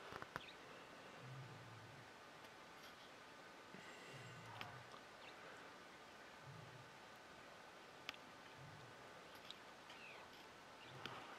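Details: A male lion near Detema Dam, Hwange National Park, on 20 October 2019, gives deep, grunting roars about every two seconds to keep rival lions away.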